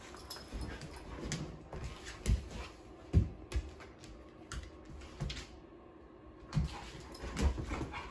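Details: Female Sheprador romping indoors with two other dogs, claiming the couch: low, rough growly bursts and scuffles come in uneven clusters, several sharper peaks standing out above a steady indoor hum.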